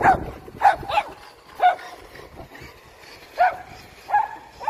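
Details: Poodle giving in to its hunting instinct around a remote-control car, letting out short, bright yips and barks roughly every second, with quiet gaps between them.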